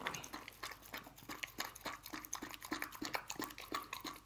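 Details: Dog, apparently named Lucy, eating canned dog food indoors: a fast, uneven run of wet smacking and licking clicks, several each second, with short crisp bursts and no vocal calls.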